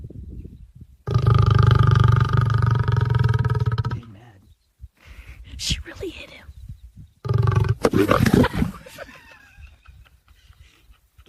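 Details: Snoring lion, said to stop once another lion hits him: a long, low, throaty pulsing rasp for three seconds, a pause, a shorter burst, then laughter and voices.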